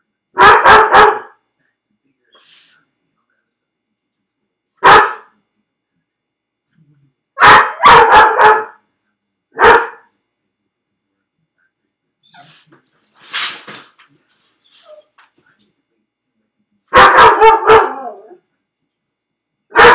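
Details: Felix, a dog left alone in a crate at home, barks in loud clusters of two to four sharp yaps separated by pauses, with a thinner whining cry in the middle; otherwise a quiet room.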